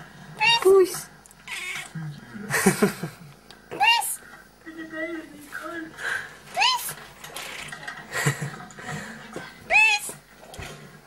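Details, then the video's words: A pet female cat meows in reply when asked to say yes, giving four short, bright meows about every three seconds. Norwegian speech coaxing her to say "ja" runs between and over the meows. "Talking Cat ( saying yes )"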